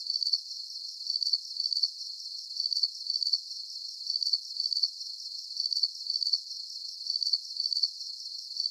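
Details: Calming night chorus of crickets. Bright, high trills pulse in doubled bursts, a pair about every second and a half, very regular and unchanging, with nothing underneath the thin high-pitched band.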